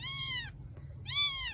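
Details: Young rescued kittens in Vietnam: two loud, high-pitched meows, the first long and falling, the second arching up then down, separated by a brief pause over a steady low background hum.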